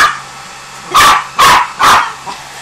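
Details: Three loud, harsh barks roughly half a second apart from Jagger the pinscher, afraid of the blower, over a faint constant background drone.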